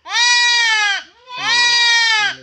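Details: Goat bleating while being castrated: two long, loud, strained bleats, each about a second, steady and slightly falling at the end, separated by a short gap.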